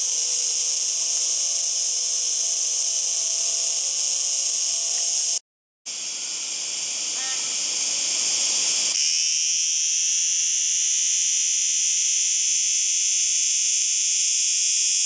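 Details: Cicada singing: a dense, steady, high-pitched buzzing drone with several stacked bands, cut by a brief silent break near the middle, after which the buzz shifts tone and continues evenly to the end.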